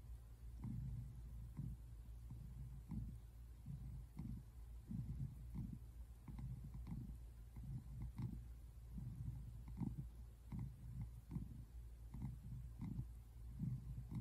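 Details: American Shorthair tabby cat lounging on a couch, February 8, 2024, purring steadily throughout; a soft, low motor-like rumble that pulses rhythmically with each inhale and exhale, no other sounds prominent.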